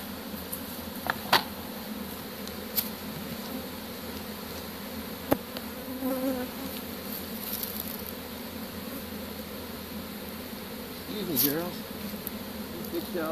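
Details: Captured honey bee swarm being dumped into a hive and covered on 25 March 2015, few bees returning to the tree; continuous low droning buzz with scattered knocks and a short sweeping whoosh.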